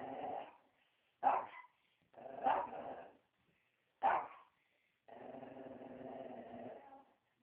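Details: A dog called Joey barking: a short bark, then three loud abrupt barks at irregular intervals, ending in a long, rumbling growl-bark lasting about two seconds.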